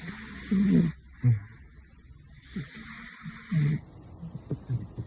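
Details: Sleeping caracal Gosha (Big Floppa) snores. Long airy, hissing breaths alternate with short throaty snorts, roughly two snore cycles in a few seconds, with faint rustling between them.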